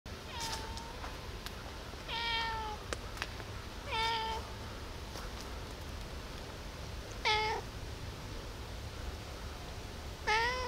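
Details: Cat meowing early in the morning around 5 a.m., asking for food: five separate drawn-out, tonal meows, each slightly falling at the end, spaced two to three seconds apart, with a few faint clicks in a quiet room.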